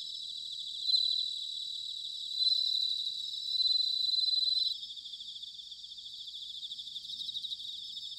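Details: Bell cricket song from Sanuki, Chiba, Japan, recorded in autumn: a close, clear, bell-like ringing note swells in three bursts over the first five seconds, then gives way to a softer, rapidly pulsed high chorus of other crickets.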